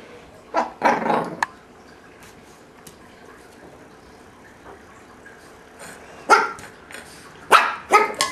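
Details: Shih Tzu puppy, three months old, indoors with a tuna can it has found, Bozeman, Montana, April 2007: two sharp yappy barks, a quiet gap of several seconds, then three more barks.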